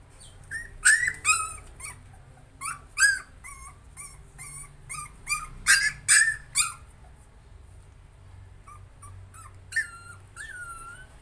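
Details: Puppy struggling to overcome fear, producing irregular bursts of shrill yelps and wavering whimpers, dense in the first seven seconds, then a quiet stretch before a final pair of drawn-out, slightly falling whines.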